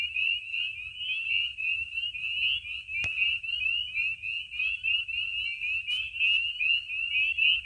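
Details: Chorus of spring peepers calling at night from vernal pools in Maine in spring, under the moon. Thick, shrill, rising peeps blend into a constant high ring, broken by a sharp click near three seconds and another near six.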